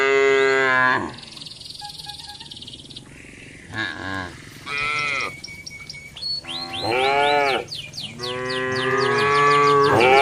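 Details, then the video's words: Cattle eating green grass: a strong moo at the start, brief mid-clip calls, then two long resonant moos near the end, accompanied by high chirping and a faint steady tone. "suara sapi"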